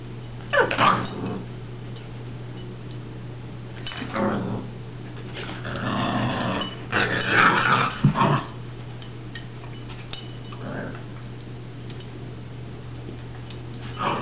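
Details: Australian Cattle Dog Cody and Boxer puppy Silva, home together one week, playing at their first meeting indoors; rough growling and bark-like bursts near 1, 4, 6 to 8 and 14 seconds over a steady low hum, a person urging Cody to be nice.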